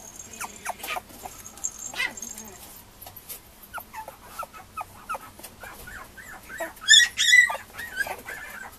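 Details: Young female Mame Shiba puppies, two of them, at a breeder on March 9, whimper in short clipped squeaks repeated rapidly, building to a louder burst of shrill cries near the end.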